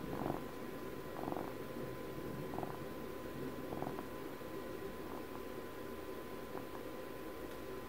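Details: A twelve-year-old pet cat purring, with soft pulsed bursts of rumbling roughly once a second that fade and grow less regular toward the end, over a steady low background hum.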